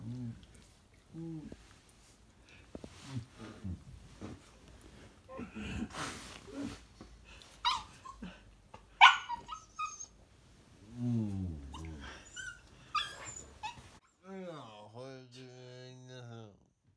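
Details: A corgi puppy waking its owner in the morning, part of a daily routine, gives rising, wavering whines and short yelps, with a few brief human murmurs.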